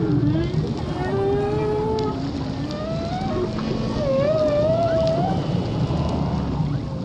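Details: A humpback whale sings long, wavering moans that slide up and down, part of a male's courtship song, in the Indian Ocean off northwest Australia, at a calving nursery and mating ground.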